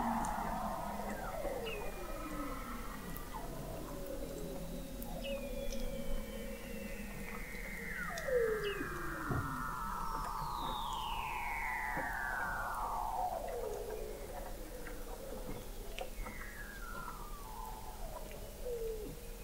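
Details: Chorus of Weddell seals beneath the sea ice of McMurdo Sound, Antarctica, recorded November 2017 from an observatory 21 m below the ice: many overlapping downward glides, trills and a long sweeping descending whistle, dense and continuous.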